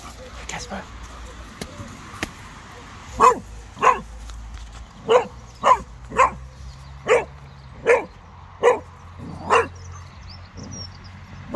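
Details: Cocker spaniel dog in a park in snow, freaking out at a very small snowman while wagging its tail; sharp barks about every half second to second, around ten in total, with faint human voices behind.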